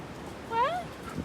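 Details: A dog from a pack playing outside on a very windy day lets out a brief, quiet whine that rises and then dips in pitch. Faint background rustle and a soft thud come just afterward.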